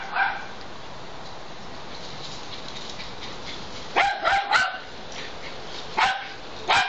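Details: Two dogs in a back yard; after quiet background noise, a quick cluster of three sharp barks near the fourth second, then two more single barks about a second apart, with a woman's voice calling them just before.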